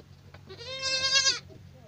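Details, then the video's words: A single bleat from a young goat (kid), high and nasal, rising slightly in strength before cutting off, over a noisy background with a low hum. "صوت صغار الماعز"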